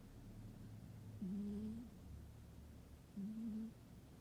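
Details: Domestic cat fast asleep indoors on a winter day, snoring in two drawn-out, faintly whistling tonal breaths about two seconds apart, each slightly rising then level, in a quiet room.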